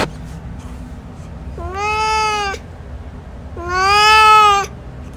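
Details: Male domestic cat giving two long, drawn-out harmonic meows, each about one second, steady then slightly falling at the end, the second louder, separated by a short pause over a quiet low background hum.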